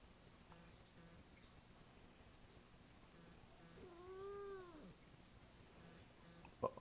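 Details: Siamese cat complaining about a messy table, indoors: one soft, drawn-out call that bends upward and then falls, about a second long, with a person asking "What?" nearby.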